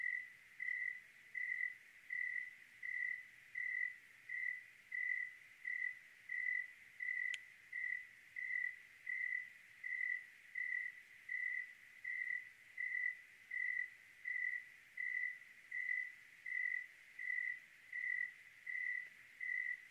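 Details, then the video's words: On a clear Oregon night a cricket chirps in a regular rhythm, short shrill pulses about every 0.7 seconds, with a single brief tick partway through against a still, quiet background. "Oregon clear night with cricket sounds"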